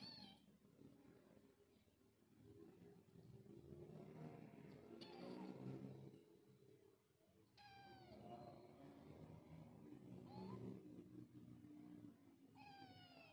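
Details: Young village kitten meowing repeatedly, thin high cries that bend upward and fall away, several calls spaced a few seconds apart over a steady low indoor rumble.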